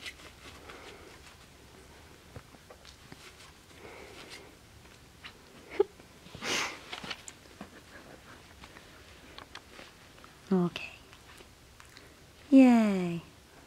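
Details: Two male Finnish Spitz puppies, four weeks (28 days) old, playing indoors: mostly soft sniffing and scuffling, then a short squeak and a drawn-out, falling whine with clear harmonics near the end.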